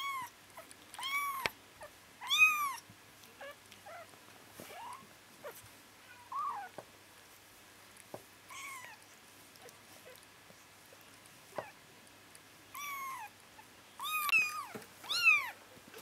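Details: Bengal kittens twitching and dreaming indoors give bursts of high, squeaky mews, each rising then falling. Clusters come near the start, midway and again late, about a dozen cries, separated by soft rustles in a quiet room.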